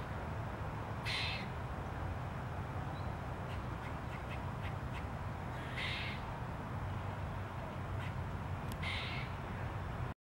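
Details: A grey squirrel gives harsh, rasping alarm calls in short bursts over a steady low rumble, recorded on October 15.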